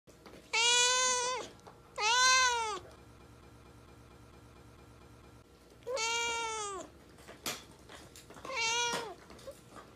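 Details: Domestic cat giving four drawn-out, rich harmonic meows, each under a second, rising then falling in pitch, in two pairs separated by a few seconds of quiet steady hum.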